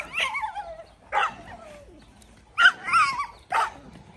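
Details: Belgian Malinois during decoy training: four sharp, high yelping barks with bent, sliding pitch, the first two spaced about a second apart, then two more quickly in succession, quiet pauses between.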